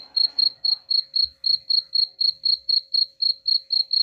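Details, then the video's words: Sharp cricket chirps, played to repel rats, repeat about four times a second in an even, uninterrupted pulse, around fifteen in all, over a faint steady hum. "suara jangkrik pengusir tikus ampuh"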